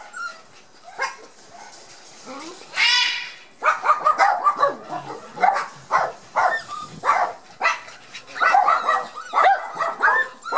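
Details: Border Collie puppies of Gem & Sky in a garden on their first outing after their first vaccination, very shy and barely moving; quiet at first, then bursts of short, high, whiny yips from about three seconds on, in irregular clusters.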